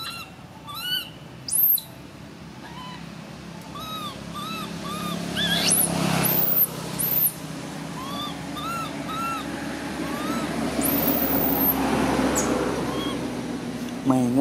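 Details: A baby monkey lets out piercing, very high screams between many short, arched whining calls that rise then drop, given in quick uneven bursts, with steady background rumble and hiss.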